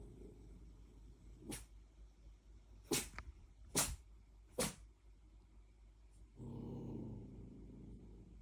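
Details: Puppy barking in a way that sounds like sneezing: four short, sharp, hissy bursts spaced about a second apart, followed by a longer, low, rumbling sound near the end.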